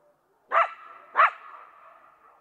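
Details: Coyote giving two sharp barking yips about three quarters of a second apart, over a faint lingering howl in the background.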